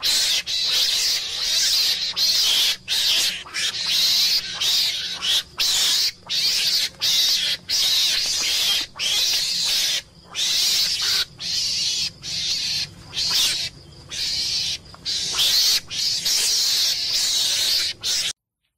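Meerkat screams: harsh, hissing bursts repeated rapidly, each under a second, with brief gaps between.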